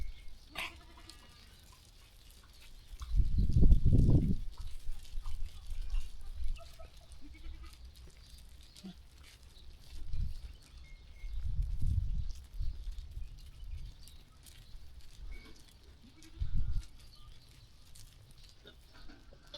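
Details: Sheep grazing and moving about on a peaceful farm; several low, throaty bleats come a few seconds apart over quiet shuffling and faint ambient noise.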